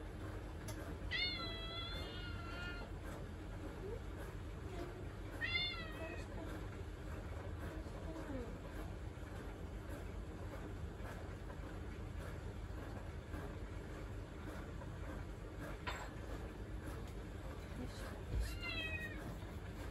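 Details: House cat seeking attention beside a person working in the kitchen, giving clear drawn-out meows, three separate calls spaced several seconds apart, with a low household hum and faint talking.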